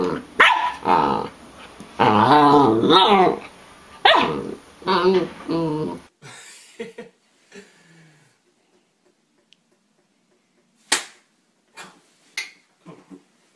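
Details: Samoyed: a rapid run of rough barks and growly yaps packed into the first six seconds, then near silence broken by a few faint clicks and taps.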